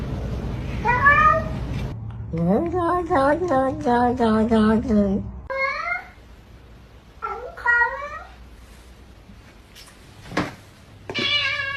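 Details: Talkative pet cats in a compilation of meowing cats and kittens: a rapid string of clipped chirping meows, then several separate rising-falling meows, with a sharp click and a final high meow.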